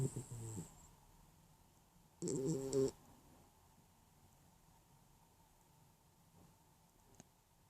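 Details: Dog asleep and dreaming, giving a short low snort at the start and then one rough, rattling snore lasting under a second, followed by quiet room hush.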